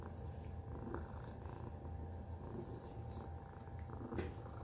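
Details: Tacy the house cat purrs with a rhythmic low rumble, rising and falling in gentle waves, broken by a few brief soft clicks.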